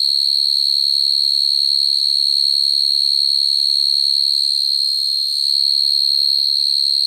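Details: Field cricket calling to attract females at night, a sound used for trapping crickets: a steady, unbroken high-pitched trill with a bright overtone above it, holding even loudness throughout, with a faint low hum underneath.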